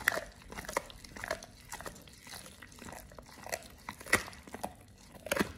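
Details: Oliang the Pit Bull gnawing a raw ostrich paw indoors, a snack for teeth polishing and jaw exercise: sharp crunching bites every half second or so, with louder snaps near the end.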